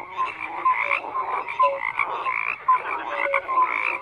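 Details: Frogs croaking together, a busy overlapping chorus of raspy pulses punctuated by short clear tonal notes several times a second.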